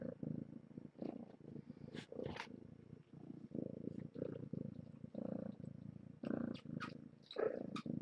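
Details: Purring from kittens of the rescued stray Nala Se, a litter born June 21st at Purrfect Pals, during morning breakfast; a continuous rhythmic rumbling purr in short pulsed bursts, with occasional light clicks and rustles.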